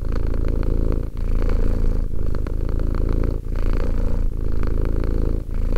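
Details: A two-year-old pet cat purrs close up, a low vibrating drone swelling and easing in phrases about one to one and a half seconds long, with short dips between breaths.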